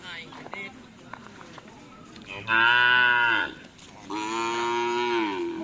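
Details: Cattle at bull racing (karapan sapi) training on a field in Asemanis, Pamekasan: after a murmur of crowd noise, two loud drawn-out moos, the first steady and harmonic-rich lasting about a second, the second long and level.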